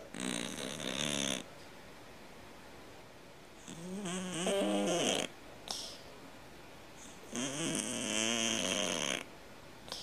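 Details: Domestic cat snoring loudly, said to snore like a grown man: three harsh, raspy breaths, each about a second and a half, returning roughly every three and a half seconds with buzzy tonal rattling and quiet pauses between.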